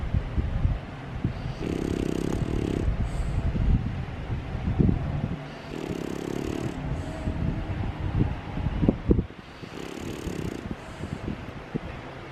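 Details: An overweight French Bulldog snores while awake, eyes wide open as if pretending to sleep, with rasping, snorting breaths about every four seconds.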